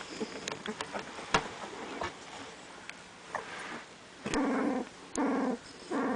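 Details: Young puppies, eyes almost open, give short low growling whines with harmonic overtones, three bursts near the end about a second apart, after scattered soft squeaks and handling rustles.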